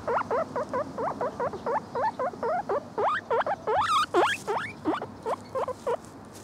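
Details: Lemon, a pet male guinea pig of the Lemon Agouti type, squeals loudly in rapid bursts of rising, slightly wavering whistles, about three per second, with a few longer, higher cries midway and little background noise.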